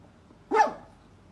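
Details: Poodle barking; a single sharp, bright bark, sudden and brief, with a quick fall-off against a quiet background.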